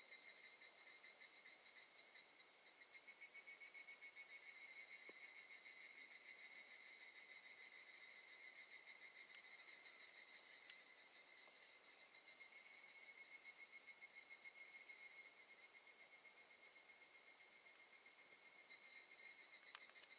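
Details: Evening cicada at Gakujin no Mori campsite in Tokushima, Japan, August 2018: a shrill, rapidly pulsed, ringing chorus of layered high tones that holds steady for twenty seconds, swelling louder near the third and thirteenth seconds.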